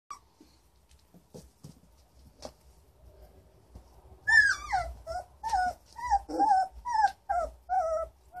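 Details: Three-week-old German Shorthaired Pointer puppies, up and about in Eugene, Oregon, on 14 April 2013: after a quiet start with faint rustles, high wavering whines and whimpers rise and fall in quick bursts through the last four seconds.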